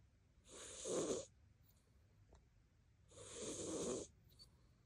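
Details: Koban, a house cat, snores heavily in sleep: two long rasping breaths, each close to a second long, noisy and throaty with a rough buzzing core, separated by a quiet pause.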